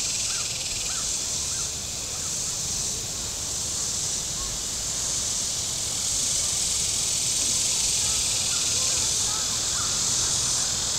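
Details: A shrill, continuous cicada chorus from the shore of Table Rock Lake, southern Missouri, on a very warm day when boats were out, swelling slightly in loudness, with faint short bird notes scattered beneath.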